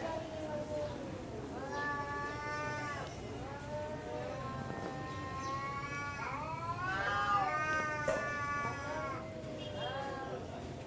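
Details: Temple cats fighting, heard as quieter, more distant wavering yowls in a steady series of rising and falling howls with a human-like quality, over a low background hum.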